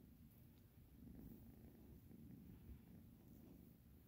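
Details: Domestic cat purring steadily, a low pulsing rumble that keeps an even rhythm through the whole stretch in a quiet room.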